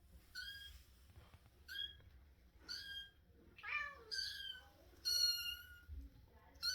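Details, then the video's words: Russian Blue kitten squeaking indoors: short, high, thin meows with stacked harmonics, about six calls spaced roughly a second apart, some rising then falling, with a low room hum underneath. "Quietschi am Quietschen, Baby Kitten Russisch Blau Katze"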